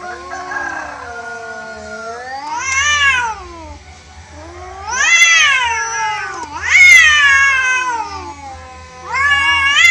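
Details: Wild cats in a natural fight where the orange cat loses, giving harsh rising-and-falling yowls in surges about every two seconds, each swell louder and shriller, with quieter moaning between bursts.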